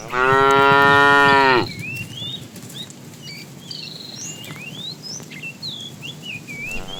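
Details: Fat cow in a tame herd being driven in the afternoon, calling the female: a loud, sustained moo opens the recording and lasts over a second. Many twittering bird calls follow, and another moo begins at the very end.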